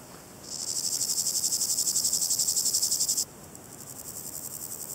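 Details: Chorthippus maritimus, the Variable Chorthippus grasshopper, producing a loud sustained run of fast regular rasping pulses for nearly three seconds, followed by a softer pulsed phrase, as if from a second, more distant insect.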